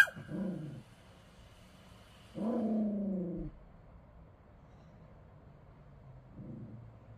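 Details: A Bichon Frise dog at work on duty gives low rumbling growls, one short, one longer and steadier, then a faint final grumble, with quiet room noise between them.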